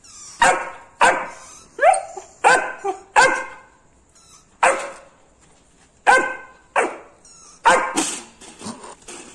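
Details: Labrador Retriever puppy reacting to a rat with a run of loud, sharp barks roughly every half second to second, some doubled, with a short pause midway.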